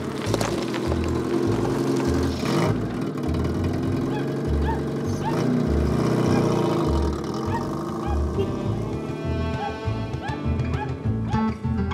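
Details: Loud music with a steady pulsing beat plays over vehicle engine sounds and some speech, with no animal voices.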